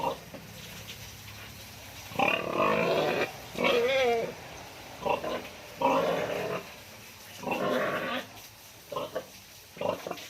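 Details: Sow being dewormed before farrowing: a series of harsh, harmonic squeals in short bursts of about a second each, one with a wavering pitch, separated by quieter gaps with low background noise.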